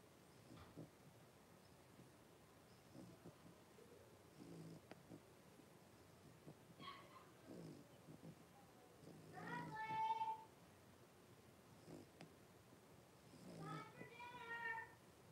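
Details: Blenheim Cavalier King Charles Spaniel puppies, a litter of five born on New Year's, in a home puppy pen with their mother Paris; two short, high, wavering whimpers with bright harmonics, separated by quiet shuffling and soft rustles.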